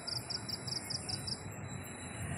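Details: Garden crickets at night on a windy evening, calling in a steady series of high, quick double-pulsed chirps about five times a second, over a constant rush of breeze.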